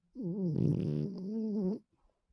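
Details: A female pet dog, sound asleep indoors, lets out one low, droning snore of under two seconds, steady in pitch with a rougher, rattling middle.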